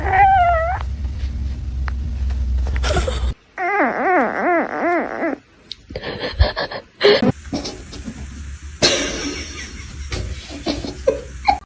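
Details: House cat with a quick rising-falling meow, then a rapid wavering warble of repeated arcs lasting over a second. Thumps, rustling and indoor noise follow.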